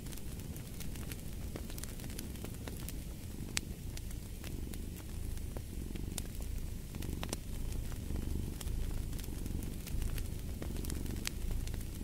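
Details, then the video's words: Low rumbling cat purr, somewhat buried under dense crackling and popping from a fireplace fire. "Fall asleep to the Purring of a Cat"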